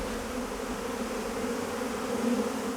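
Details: Africanized honey bees buzzing loudly inside an opened hive box in Tucson, Arizona, where the brood sits at the hive's centre; a steady, dense low hum with even loudness throughout.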